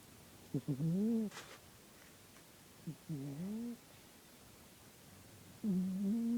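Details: A sleeping house cat named Porchcat snores in a quiet room, giving low droning tones that dip and rise within each breath, three snores spaced a couple of seconds apart, the last one longer and steady.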